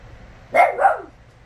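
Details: Teagan, a four-year-old Westie, protests at home because her ripped toy was placed on a coffee table: one short yowling bark sliding down in pitch, lasting about half a second, with a quiet room behind it.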